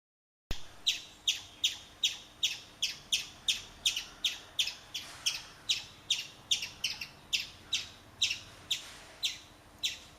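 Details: Chipmunk calling while urinating: a steady series of sharp, high, clicky chips, about two to three per second, some twenty in all, evenly spaced with brief gaps and a faint low hum beneath.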